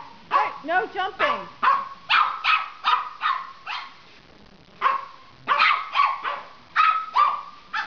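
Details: Silky Terrier and Papillon puppy barking together: quick runs of sharp yappy barks and a few whiny yelps, overlapping and irregular, pausing briefly around four seconds before another burst.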